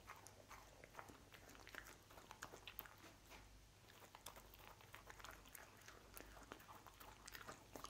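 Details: Dense, continuous crunching as Lucy the dog munches cookies in a small room. Rapid crisp bites tumble one after another, with a steady low hum underneath.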